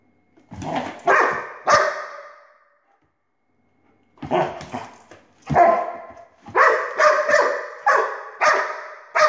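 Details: Domestic dog barking at a laser pointer: a pair of sharp barks, a pause of about two seconds, then a run of loud, harsh barks coming faster, roughly every half second toward the end, in a quiet room.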